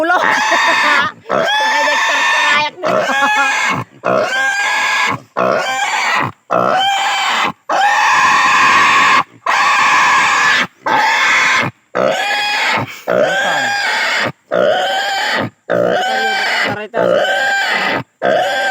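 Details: Native pig screaming while being castrated, uttering rapid harsh squeals of about one second each, separated by short breath gaps, about fifty per minute, loud and strained with rising and falling pitch.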